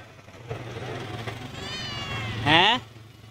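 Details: A homeless, hungry cat that lost its family gives one short, loud, arching meow near the end, after a stretch of murmured Bengali speech and low engine rumble.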